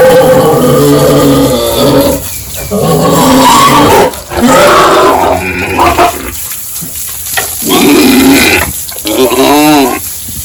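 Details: Pigs at a village pig farm during morning feeding, loud sustained harsh squealing with a few breaks, ending in a rising and falling wavering squeal, mixed with other farm noise.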